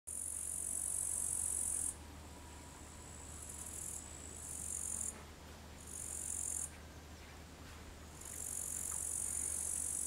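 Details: Upland green bush-cricket (Tettigonia cantans) singing in long, high, buzzing bursts separated by short pauses, recorded in the afternoon at 15:13 on 4 August 2013 in Savonlinna, Finland.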